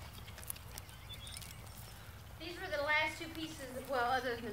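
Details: Goats at feeding time; two wavering, quavering bleats with a shaky tremolo, the first drawn out for about a second and a half, the second following shortly after, with low rumbling background noise.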